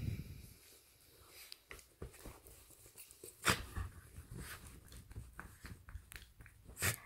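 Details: Pet dog Pita playing and having fun, giving quiet snorts, sniffs and breathy huffs in quick irregular bursts, with a sharper snort near the middle and another near the end, plus soft rustling and knocking.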